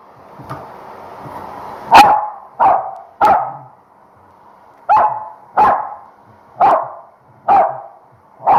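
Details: Female Corgi at home barking under a hair dryer after a shampoo, which she hates and fights hardest against when drying; seven sharp barks, in a pair and then spaced about a second apart, over a steady blower hum.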